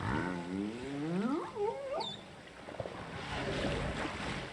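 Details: Humpback whale social sounds off Cape Town, South Africa, on 23 January 2021, recorded by hydrophone on a freestanding pole and buoy: rich harmonic moans bending up and down, with a brief high squeal.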